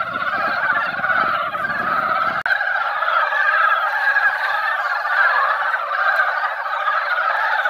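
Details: A yearly gathering of mountain frogs at a mountain pond after a light shower. The croaking chorus is continuous and dense, with a brief low rumble and a sharp click near the start, then only frogs.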